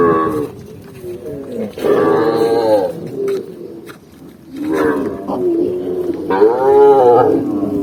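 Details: Cattle herd on a forest path, overlapping drawn-out moos rising and falling in pitch, three louder bursts with quieter lowing between.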